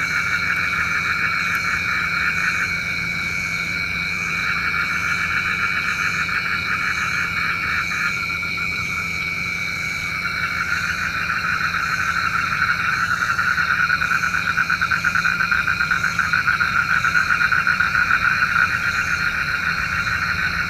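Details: A night chorus of frogs, believed to summon rain, keeps up a continuous stream of fast pulsed croaks that swell slightly toward the end, set against sustained shrill buzzing tones and a low steady hum.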